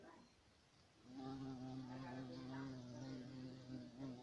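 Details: European carpenter bee (Xylocopa violacea), a big black bee, whose low droning buzz starts abruptly after a second of quiet and then holds steady with layered overtones and slight wavering.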